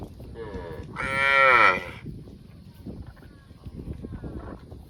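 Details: Cow mooing: one loud, harmonic moo lasting about a second, preceded by a softer short moo, then low farmyard rustling and shuffling.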